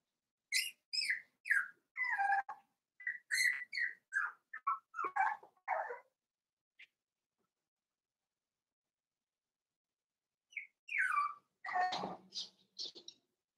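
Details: Five-week-old Cavalier King Charles Spaniel puppies in a puppy pen, giving high whistled whines and yelps in bursts, several short falling cries in quick runs, a pause of silence, then more squeals and a rough yelp.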